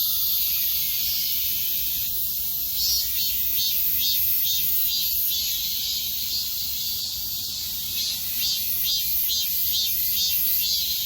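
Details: Cicadas singing together in high summer, a continuous hissing whine high in pitch, throbbing gently about twice each second, steady in volume throughout with only a faint low background hum.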